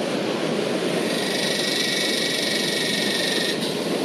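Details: A yellowbelly cicada (Psaltoda harrisii) sings high in a tree behind beach sand dunes in Northern New South Wales, Australia, on a windy day: a loud, steady, unbroken buzzing drone with a harsh metallic edge.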